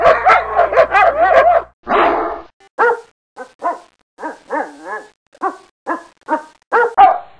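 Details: Dogs barking: a burst of rapid, overlapping barks opens, followed by a drawn-out rough bark, then a steady run of single sharp barks about every half second, some ending in a short whining drop; otherwise quiet.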